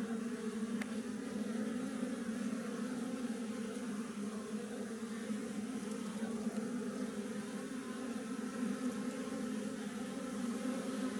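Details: A wild honey bee (Apis mellifera) colony inside a tree gives an unbroken, dense buzzing hum at a low pitch. A single faint tick comes early on.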